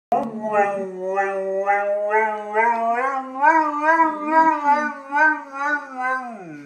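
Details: Jimmy, a golden retriever, howls as if speaking like a human: one long wavering tonal howl with strong stacked harmonics, pitch warbling up and down in quick regular pulses, holding steady before a slight final drop.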